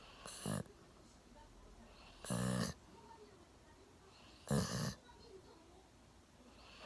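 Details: Milo, a one-year-old Golden Retriever, sleeps deeply on a sofa with his chin resting on a table. He snores in loud, rough, rasping bursts about every two seconds, with quiet pauses between breaths.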